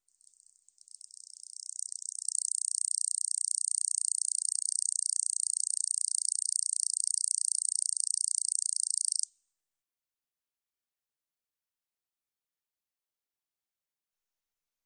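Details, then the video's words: Katydid, a 2020 recording from Korea's National Institute of Biological Resources. A sharp, shrill rattling song starts with brief stutters, swells into a steady rapid pulsed buzz for about seven seconds, then stops abruptly into silence. "여치, 여러번 듣기, 곤충소리"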